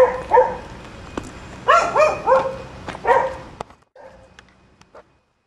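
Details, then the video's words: Nuisance barking from dogs at the top of Chapman Rd, left alone until their owner returns home; several loud harmonic barks in quick bursts over about three seconds, then quieter, fainter sounds and silence. "nuisance barking dogs"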